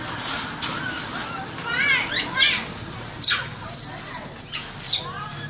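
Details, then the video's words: Trapped, terrified baby Asian macaque crying out for help: loud shrill screams sweeping steeply up and down, stacked with harmonics, alternating with shorter wavering wails in close succession. "The Baby Monkey Was Trapped, Crying And Calling For Help, Extremely Scared And Pitiful"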